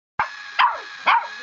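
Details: Puppy barking at a pedicure foot roller, three sharp high barks spaced about half a second apart, each with a falling tail, followed by a woman exclaiming.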